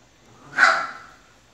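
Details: A single short, sharp yip from a Chihuahua, bright and high, rising quickly then fading over about half a second in an otherwise quiet room.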